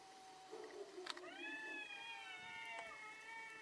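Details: Cats in a fierce fight: one long, steady, harmonic yowl that starts at about one second and is held, slightly wavering, to the end, with a short sharp click near the onset.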